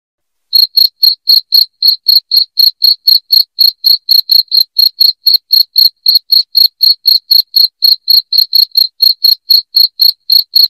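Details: Loud cricket chirping, meant for driving rats out of the house: shrill, high chirps repeated about four times a second in a steady, even run, with nothing else audible.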